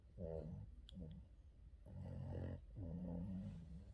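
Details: Yoda, a pet Boston terrier, during an afternoon nap indoors: three low, rasping, harmonic snores, each lasting roughly half a second to a second, separated by short quiet pauses.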